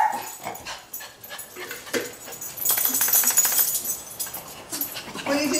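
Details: Small female Schnauzer barking to greet guests: a few sharp, loud barks with bright bursts in the middle, alongside a person speaking.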